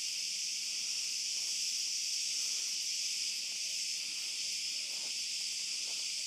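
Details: Night chorus of cicadas in an olive grove, a continuous shrill hiss-like buzz without pause or change in pitch, faint scattered rustles and steps beneath it during a dog walk.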